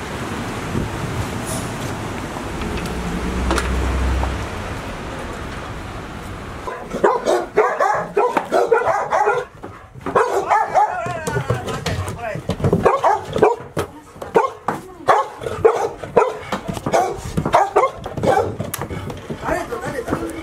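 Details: Five Golden Retriever puppies aged 158 days, shut in the house for a day while Typhoon 24 neared Ain village, Japan, on 30 September 2018; after a quiet start, rapid overlapping yips and barks come in dense clusters.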